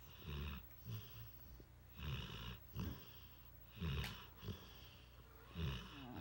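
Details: Mastiff mix dog asleep on a lap, snoring: low rumbling breaths repeated about every second to second and a half, with a brief click near the middle, quiet indoor background.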